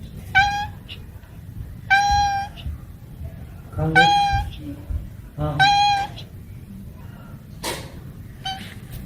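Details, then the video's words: Cats and kittens meowing in a loose series of four clear, flat, harmonic meows roughly every one and a half seconds, followed by a sharp click and a faint short call near the end. "Funny cats and kittens meowing compilation 2021, Cat_Sound_Effects ।। ବିଲେଇ ର ମିଆଁଉ"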